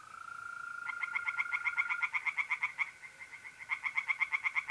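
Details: Tree frogs singing in a pond on an April night in north-east Italy. A steady insect trill opens, then rapid, sharp, pulsed croaks run in a fast series, pause briefly and start again over the continuing mole cricket trill.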